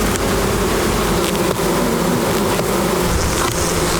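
Many bees make a steady, low droning hum, with occasional crackles from a fire.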